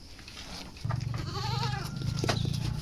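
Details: Goat on wet azolla feeding, giving a wavering bleat over a steady low hum and background noise.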